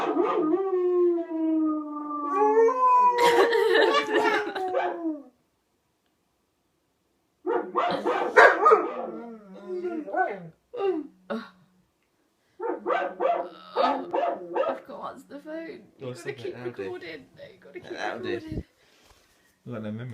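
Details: A white German Shepherd gives drawn-out, sliding howls that drop in pitch, then breaks into shorter yips and wavering cries, answering a dog howling on TV, with some voices and background sound mixed in.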